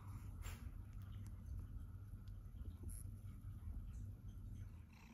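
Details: A young adult Siberian Forest cat purrs indoors: a continuous low, even rumble lasting several seconds, with brief faint rustling noises overhead.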